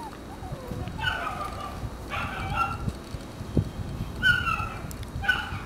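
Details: Red-coated male Shiba Inu puppy giving short, high, tonal whining yelps, four separate cries spaced roughly a second apart, each with clear stacked overtones, over a faint hiss and scattered light knocks.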